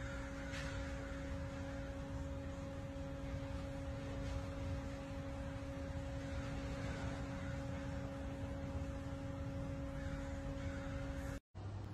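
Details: Steady electrical hum with several fixed tonal lines over a low rumble and faint hiss, no animal voice, then a brief dropout to silence near the end.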